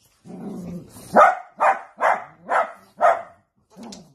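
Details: A Dachshund opens with a low growl, then lets out five sharp, evenly spaced barks about half a second apart, followed by one softer closing bark.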